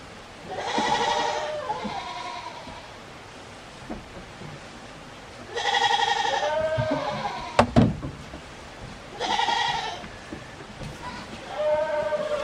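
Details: Goat brothers at feeding time on a small handmade goat farm in Himi, Japan, on 24 January 2021: three long, wavering, nasal bleats a few seconds apart, each with softer shorter bleats after, and a brief clatter midway.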